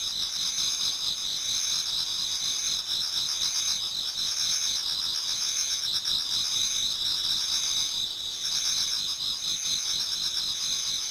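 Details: Autumn insect chorus near dawn in a Japanese garden, many singers at once; continuous high ringing trills stacked in two bright bands, with softer rhythmic pulsing chirps underneath throughout.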